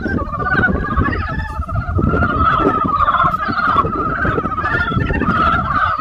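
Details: In spring, a mass of frogs croak together, producing unbroken, trilling pulses stacked at two pitches that swell slightly midway, while a steady deep background rumble runs underneath.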